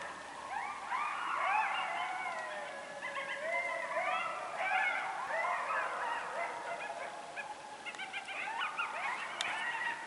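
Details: A coyote pack in rural Massachusetts, November 2015, howls together, voices wavering and sliding up and down over one another.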